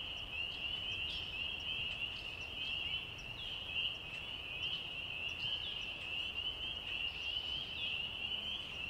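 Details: At night, a dense chorus of spring peepers gives high, overlapping peeps that merge into a continuous shrill ringing, with crickets, birds and a soft low night rumble beneath.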